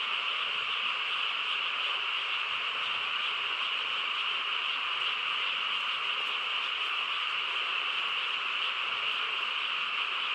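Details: Many frogs calling together at night in quiet countryside, a thick continuous chorus of rapid overlapping trills that never pauses, holding an even loudness from start to finish.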